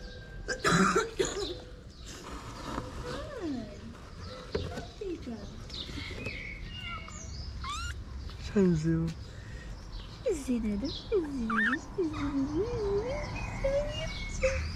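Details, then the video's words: A stray kitten in Morocco meows for its mother, Mama, who was out looking for food. A run of wavering, bending meows rises and falls, clustered near the end, after human talk and a cough, with small birds chirping behind. "Mama the cat who was looking for food came when she heard her kitten meow."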